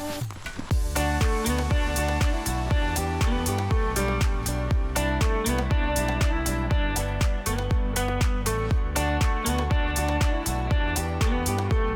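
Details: Steady electronic dance music with a strong beat about twice a second and no animal voices.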